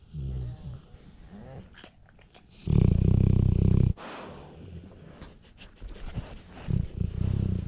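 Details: Male bluenose pit bull snoring loudly while sleeping with eyes open, recorded on a GoPro Hero 7 Silver; one loud, deep, rattling snore midway, framed by quieter snuffling breaths and rustling.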